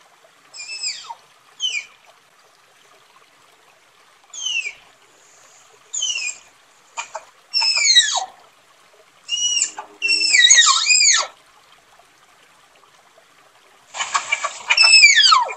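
A tapir gives shrill, whistled squeals that sweep downward, repeated in short bursts with brief pauses.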